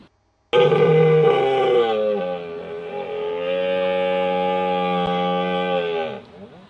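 A red deer stag gives one long, deep bellow, steady and droning with a rich, throaty tone.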